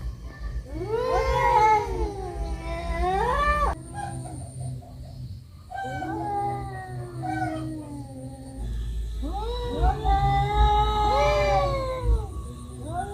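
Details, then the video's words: Brawling cats let out loud, wavering yowls in three long bursts, each climbing to a strained peak before sagging, with quieter moaning between them and a low, rumbling background. "Kucing berantem, Kucing berkelahi"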